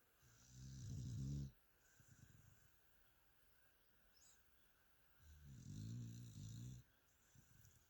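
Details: Two long, low, rumbling snores from Mia, a sleeping pet dog, roughly four seconds apart, each followed by a softer breathy exhale, with quiet indoor background between.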